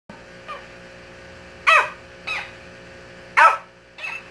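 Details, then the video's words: Shih Tzu barking at a mimic toy indoors: two sharp, loud barks about 1.7 seconds apart, each followed by a softer copy, with faint quieter barks at the start and end over a steady low hum. "Shih Tzu barking at a mimic toy"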